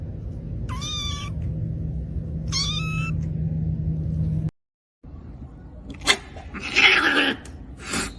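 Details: Domestic cat giving two drawn-out meows about two seconds apart, each roughly half a second long with a quick upward bend then a level tone, over a steady low hum; after a brief silence, scattered clattering and rustling noises follow.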